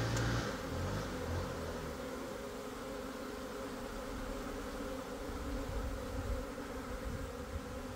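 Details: Swarm of Italian honey bees leaving a hive: a dense, steady droning hum that wavers slightly in strength, with a sharp click near the start.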